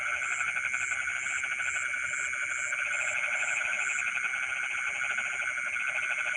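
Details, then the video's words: Night-time frogs singing in rice fields: fast, rattling pulsed croaks that fade after four seconds, layered with a steady insect drone and evenly spaced high chirps. "the sound of frogs singing in the rice fields in the middle of the night"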